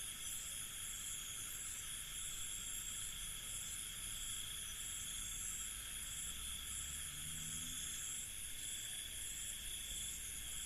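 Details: Crickets chirp together at night in an Indian village, a steady, high, shimmering chorus that never pauses, over a soft low rumble; cricket.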